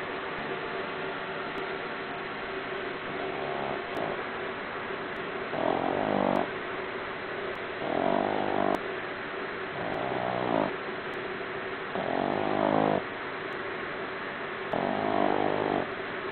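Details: A sleeping 4-month-old Boston Terrier puppy snores loudly, each rasping breath rumbling out about every two seconds.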